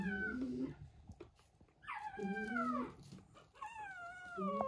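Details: Maltese puppy letting out long, drawn whining cries that slide downward, three drawn-out wails separated by short gaps.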